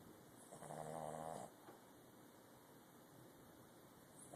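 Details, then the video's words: Puppy asleep, giving a single snore lasting about a second: a low, rattling buzz with a breathy rush on top, then quiet room hiss. "Snoring pup"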